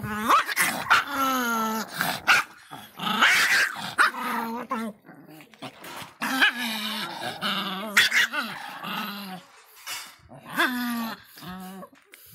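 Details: Aggressive little Miniature Pinscher, Faísca, in a long run of snarling growls, yaps and high whining cries with almost no pauses.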